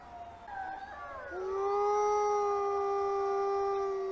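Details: An arctic wolf, a grey wolf native to the Arctic regions of North America, howls: a wavering higher note that slides down into a long, steady tone.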